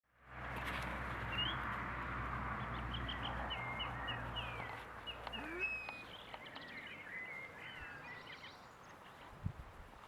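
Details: Six-week-old Boston Terrier puppies giving a busy run of short, high squeaky whimpers and chirps that rise and fall, most of them packed into the first six seconds over a steady low hum that fades out.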